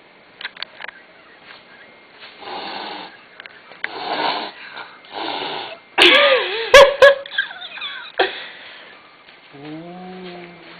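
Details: Gizmo, a territorial male house cat, hissing indoors at new slippers with fluffy cats on them, which he takes for other cats. Several breathy hisses, then a wavering growling yowl with sharp clicks, ending in a short tonal cry.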